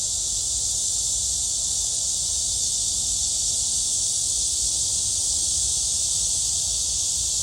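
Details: At Gwangalli Beach, cicadas keep up a continuous shrill buzzing chorus, a high hiss-like drone without pauses, over a low background rumble.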